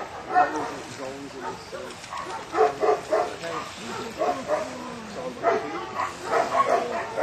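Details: Newfoundland dog named Harry Potter completing section D of a water test, his fourth pass at this level, on a choppy Lake Bala in Wales; short harmonic barks come in bursts over people talking nearby.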